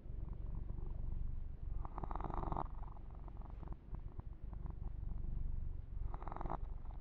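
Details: Massaged male kitten Yumak keeps up a soft, even purring rumble, while hand strokes through his fur add rustling bursts, a longer one early and a short one near the end.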